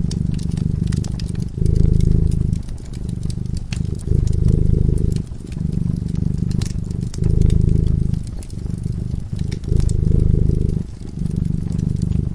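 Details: Purring cat asleep by a cozy fireside: deep, steady rumble in alternating phases of about one to one and a half seconds, separated by brief dips, while wood crackles and snaps in the fireplace.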